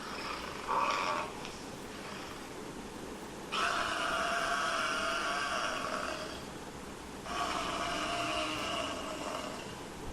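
A buffalo gives long, harsh, snoring bellows, with two drawn-out calls separated by a short pause.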